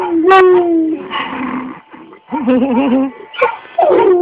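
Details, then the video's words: A red nose Pit Bull crossed with Bullmastiff, eight years old, sings along to Happy Birthday: drawn-out howls with a wobbling, vibrato-like middle note and falling tails, with a person speaking briefly. "BULL MASTIFF/RED NOSE PIT MIX SINGING HAPPY BIRTHDAY"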